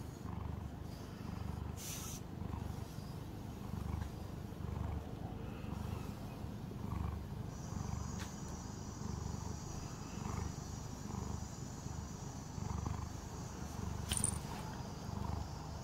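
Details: Calico pet cat during a grooming session, continuous deep purring with a slow pulsing rhythm, plus a few brief clicks and a thin high whine in the background.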